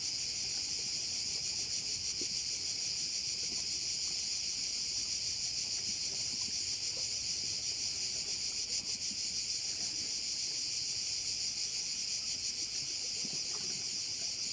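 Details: Bay scene on Korčula, Croatia, with massed cicadas: a bright, intense buzzing wall of sound, rapidly throbbing and constant in level, faint low rustle underneath.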